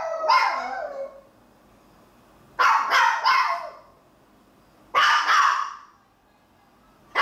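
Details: Maltese dogs alone in the house, watched by a camera, give clusters of sharp barks in three bursts a couple of seconds apart, some doubled or tripled, with a further bark starting at the end.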